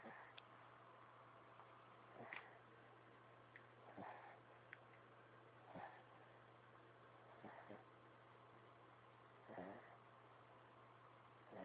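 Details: Little dog Robbie asleep and snoring indoors: soft, breathy rasping snores recur roughly every one and a half to two seconds, each a short broadband puff, over a steady low electrical hum.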